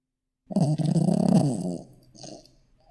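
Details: Shih Tzu puppy snoring in its sleep: after a brief silence, one loud, rough, fluttering snore lasting over a second, then a softer trailing breath.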